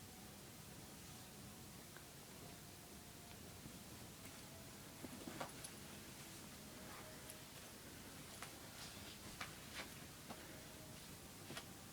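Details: Only faint room noise with scattered soft clicks and rustles is heard, with no animal voice. The background stays low and steady throughout.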